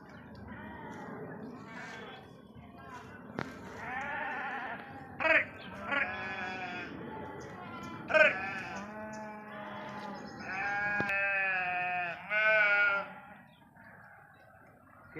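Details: A flock of sheep grazing in a forest bleats almost continuously. Many overlapping wavering calls at varied pitches rise and fall, with a few louder sharp bursts standing out above the steady murmur of the herd.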